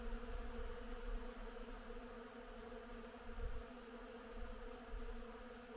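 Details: Many honey bees work blooming willow in spring, humming together in a steady, low, droning buzz with a faint rumble of wind beneath.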